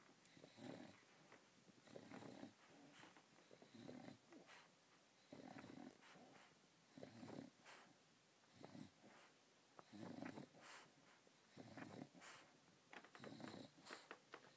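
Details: Female English Bulldog asleep, sucking on her teddy bear like a baby with a pacifier. Soft, rhythmic snuffling and sucking breaths come in bursts roughly every one and a half seconds, with quiet gaps between.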